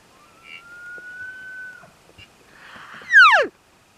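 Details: A 7x7 bull elk (Cervus canadensis) on public land bugles while coming in, a bull-calling-cows contact bugle: a long steady whistle, then a loud harsh note sweeping steeply down.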